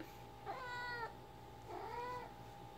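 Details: Female house cat Ginger voicing her mumble sound mid-fetch with a favourite toy; two clear, drawn-out harmonic meows about a second apart, the second lower and softer, with faint indoor hum behind.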